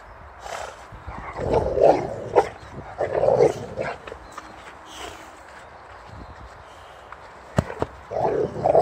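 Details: Boxer Rex, ball held in his mouth, playfully battling a bucket that chases him; repeated muffled growly barks in bursts through the first half, a lull, then a sharp knock and a final grumbling burst.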